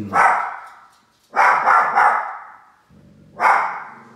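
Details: Two little dogs barking at a large toy indoors: three loud, sharp barks, the middle burst a quick double-triple bark, separated by short pauses with a low hum between.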